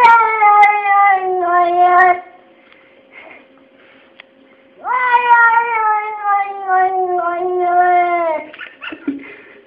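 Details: Pet cat Kesha grumbling about its fate in a room: two long, plaintive meows, each starting high and sliding slowly downward, separated by a couple of seconds of quiet.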